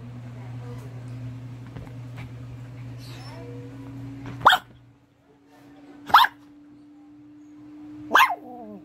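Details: A Maltese-Shih Tzu mix with white fur barks three times, spaced about two seconds apart. Each bark is crisp and abrupt. A constant low electrical hum and faint background murmuring run underneath.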